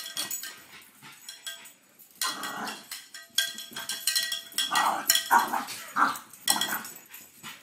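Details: Excited French Bulldog reacting to a cow bell: a quick run of rough, broadband barks and yelps, closely spaced and irregular, with a faint steady ringing tone in the background.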